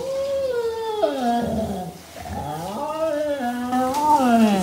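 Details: A Siberian Husky howls during a bath in a long, wavering, yodelling voice that slides down and climbs back up.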